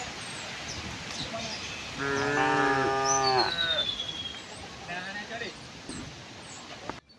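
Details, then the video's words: Tame herd walking to pasture on a peaceful morning; a single strong moo of about one and a half seconds, slightly wavering, amid low background noise and a thin descending bird whistle. "the sound of cows"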